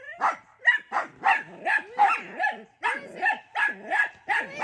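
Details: Several dachshunds barking at their grandmother looking out a window at them: a rapid, uneven run of about a dozen high yappy barks with whiny rising and falling tones between them.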